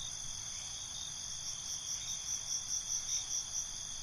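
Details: Crickets at night, a steady high-pitched ringing trill with layered bands, joined in the second half by rhythmic chirps pulsing roughly twice a second over a faint low background hum.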